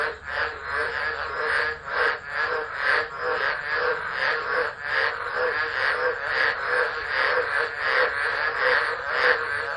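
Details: Tropical frogs calling in a dense chorus during a Tropical Low storm at Driver, Northern Territory, Australia, 13 December 2013, captured by an unattended phone. Overlapping pulsed croaks throb about twice a second in a steady wall of sound.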